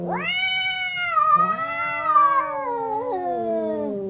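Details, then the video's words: Two fighting domestic cats: a drawn-out yowl swells up sharply, then holds and slowly sags in pitch for four seconds, while a lower second voice joins midway with a throaty, rising moan. "Two cats howling cats fighting sound"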